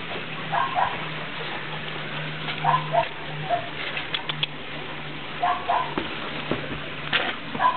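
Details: Eight-week-old Norrbottenspets puppies in the rain give clustered high whimpers and yelps in short bursts, with a low steady hum beneath and rain noise throughout.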